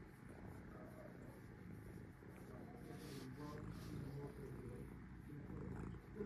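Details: Resting domestic cat purring close by, a dense, steady low rumble with fine rapid pulsing that swells slightly in loudness across the clip.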